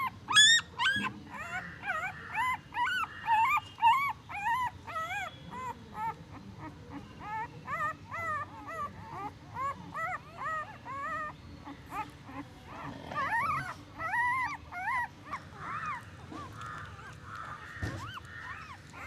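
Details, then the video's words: Newborn puppies squeaking and whimpering in rapid bursts, short high arched cries tumbling over each other in the first few seconds, then quieter scattered whines with faint shuffling noises. "newborn puppy sound effects & movement"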